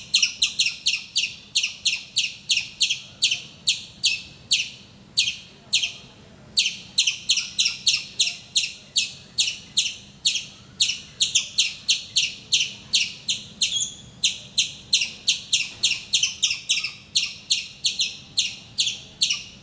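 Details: Wild squirrel in Calicut, Kerala, India, calling every morning from a mango tree near a house; a long run of shrill, high chip notes repeated steadily about three per second, with one brief pause, against faint background hum.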